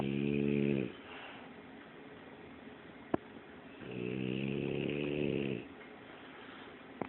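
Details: A French Bulldog snores very loudly indoors: two drawn-out, low, rasping snores, one lasting under a second and the other about two seconds, separated by quiet breathing and a soft click.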